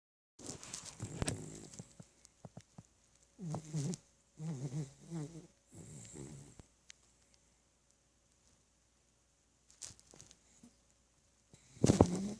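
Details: Tebow, a pet dog, snoring indoors: a few short, rough, buzzy snores with a low droning tone in quick bursts, then a long quiet stretch before one more loud snort near the end.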